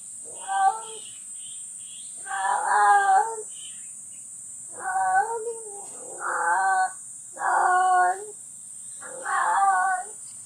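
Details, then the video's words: Cat calls recorded at a livestock barn, home of barn cat Jerry, who is still nursing her kittens, as a strange sound comes from outside: five long, drawn-out harmonic meows, each under a second, spaced roughly two seconds apart, over a steady high hiss. "[축사 고양이 제리의 하루] #3 밖에서 들리는 이상한 소리의 정체는?"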